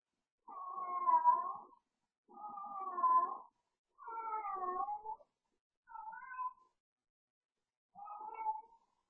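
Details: Cooper, a pet cat, yowling late at night while playing, as he does almost nightly when the household goes to bed; five drawn-out, wavering, moaning yowls, each about a second long, spaced roughly two seconds apart over a silent background.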